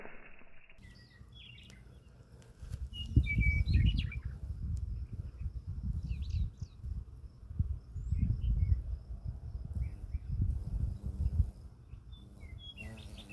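A bumblebee's flight buzz, slowed down to a deep, throbbing rumble of wingbeats.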